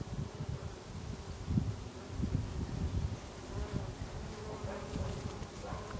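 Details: Many bees working lavender blossoms in August in Brittany; a loud, low, fluttering drone that swells and fades repeatedly as insects pass close, with faint higher rustling toward the end.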